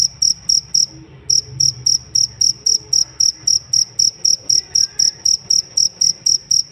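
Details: Jangkrik cricket chirping as a training master for songbirds: clean, high, pulsed chirps at roughly four per second, pausing briefly about one second in, then resuming evenly over faint low hum.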